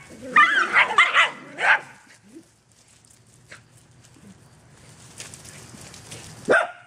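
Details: Dog romping in the back yard lets out a quick cluster of barks, falls quiet for several seconds amid faint rustling, then gives one final bark.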